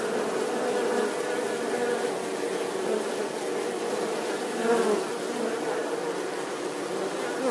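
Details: Steady swarm-like buzzing of bees, a thick unbroken drone with layered harmonics and a slight swell near the fifth second, no other sounds clear.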